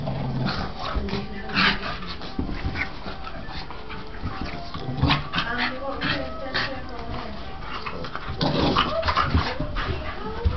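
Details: Staffordshire Bull Terriers Dylan, a white dog, and Spike, a black dog, in a play fight, giving rough growls, huffs and high whines in quick clusters while people chat nearby.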